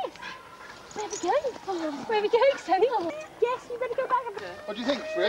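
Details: Huskies at a sled dog race weekend in the Forest of Dean, November 2001, taped on VHS: many overlapping yelps and whines that swoop up and down in pitch, packed closely together over a muffled outdoor background.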